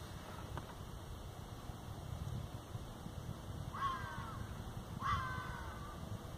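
A fox gives two short, harsh, hoarse barks about a second apart over steady wind rumble.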